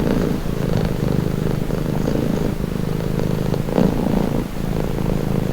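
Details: Close, low purring from a cat, a soothing rough hum with breath-paced swells and a short louder burst near the end.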